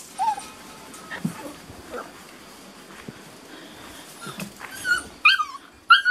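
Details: Beauceron puppies at six and a half weeks, from a working-line litter in a new pen, May 2019: short high whimpers and yips, sparse at first, then clustered rising-falling squeals near the end, with rustling between.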